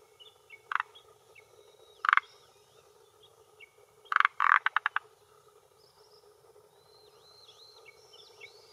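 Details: Male Forest Green Tree Frog croaking with his throat vocal sac at a hillside pond shore in Japan, late afternoon in early June 2021, claiming territory and attracting females: loud, short, harsh bursts, then a rapid clicking run of pulses, with high chirping callers behind.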